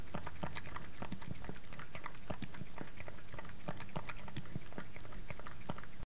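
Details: Prince, a male British Shorthair kitten, drinking water indoors, recorded on a Panasonic X2000 camcorder with a Rode VideoMic NTG; rapid, regular lapping clicks, several per second, over a low steady hum.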